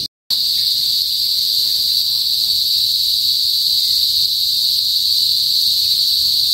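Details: Philippine cicadas (kuliglig) in a northern provincial area of the Philippines, noisy before sunset. After a split-second of silence, an intense, continuous, shrill buzz starts and stays unbroken at an even pitch and loudness.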